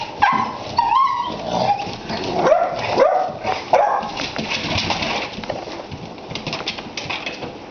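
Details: A bicolor male Basset Hound puppy, nearly 3 months old, gives a run of high, wavering whimpers and short yips.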